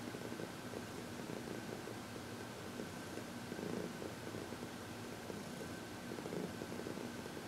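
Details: Happy senior cat Heidi, aged 14, purrs while receiving massage and reiki indoors on February 22, 2021; a rough, pulsing low purr swells and fades against a constant background tone.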